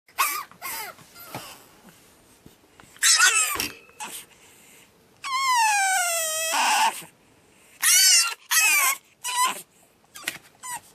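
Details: Pug puppy named Batman on his second night, screaming indoors: loud harmonic wails, one long high scream with dense stacked bands around six seconds, separated by short yelps and quiet pauses.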